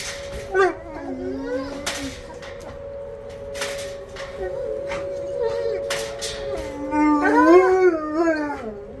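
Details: Two dogs howling in a kennel at feeding time in response to the monthly tornado siren test; wavering sliding howls build toward the end against a constant siren drone, with a man's voice and background sounds.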